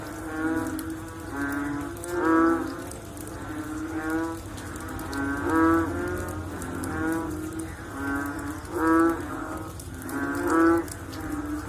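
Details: Chorus of frogs following rain. Groaning, harmonic calls repeat irregularly, about every one to two seconds. Several louder nearby callers pulse above a dense, steady wall of similar distant voices.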